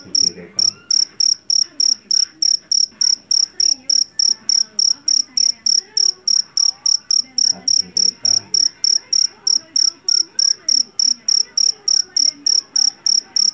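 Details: Shrill repeated chirping from a jangkrik jeliteng, the Javanese field cricket caught in a rice paddy and noted for its ringing call; over forty high, regular pulses roughly three a second, with a faint low hum and murmurs beneath.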